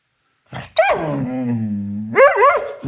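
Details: An excited dog gives a short bark, then a long, steady, harmonic howl-like whine that rises and wavers at the end. A person is scolding it just before.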